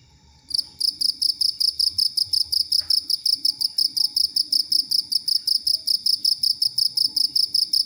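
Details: Cricket song meant for tutoring songbirds like the oriental magpie-robin, green leafbird and common iora; a long, steady run of shrill, high-pitched pulsed chirps, roughly three every second, continuing without a break.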